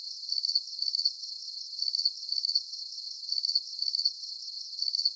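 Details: Calming cricket chirps for deep sleep: bright, high-pitched pulse trains come in clusters separated by brief pauses, with a faint shimmering background hiss and nothing else heard.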